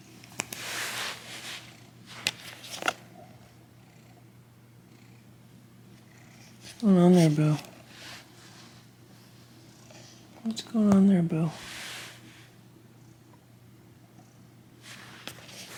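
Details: Domestic cat from a household of eleven cats: two drawn-out, wavering, falling meow-like calls about four seconds apart over a low steady hum, with a few brief rustles and taps earlier.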